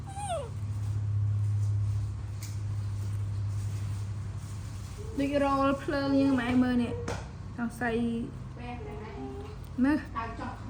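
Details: Young monkey in a tantrum when its mother walks away, giving repeated quavering wails and sharp whimpering squeals in bursts after a steady low hum; the cries rise and fall, with a short gap between volleys.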